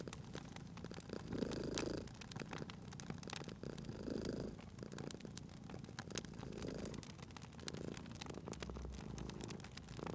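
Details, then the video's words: Cat purring while asleep at a crackling fireplace, cozy spring ambience; soft, throaty purr rises and falls in roughly two-second breath cycles under a steady patter of fire crackles and snaps. "Cute Purring Cat at a Crackling Fireplace"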